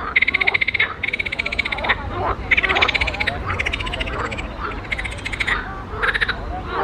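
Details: Several frogs calling in a pond, giving rapid rattling croaks in bursts of under a second, repeated about once a second with brief pauses; softer croaks overlap in the background.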